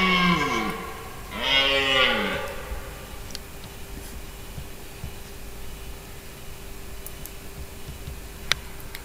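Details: Red deer stag bellowing during the October rut, filmed about 80 m away while excited in the breeding season; two deep, hoarse roars with rising then falling harmonics in the first two seconds, followed by quiet outdoor background.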